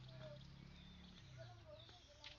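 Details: Cattle meant for Qurbani sacrifice: a low, steady, droning moo held for about a second and a half, half-buried under a busy crowd of human voices and chatter.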